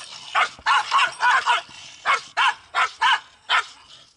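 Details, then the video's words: Pungsan dogs in South Korea quarrelling over home turf, a fight repeated day after day; loud sharp barks in quick bursts, about eight in four seconds, some doubled, with a faint background hum between them. "Quarrel of Poongsan dogs in SouthKorea"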